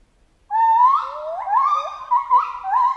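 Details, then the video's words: Rising and falling chimpanzee hoots run together in a continuous, wavering series, with several upward-swooping cries in quick succession over three seconds. "Monkey Ape Sound Effect Chimp Jungle"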